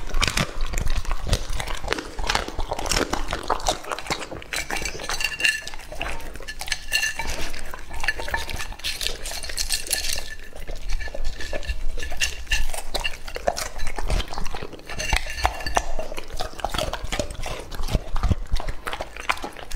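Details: Indoor feeding of Lucky, a two-and-a-half-year-old English Labrador Retriever, on raw meat. Continuous gnawing and licking mix with frequent rattling and clinking of a dish being pushed around.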